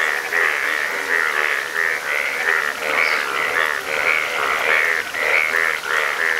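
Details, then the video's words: Chorus of yellow frogs in Nepal: many overlapping buzzy, harmonic croaks that blend into a continuous throbbing wall of sound, with pulses coming about once a second. "Yellow Frog In Nepal & Frog Sounds"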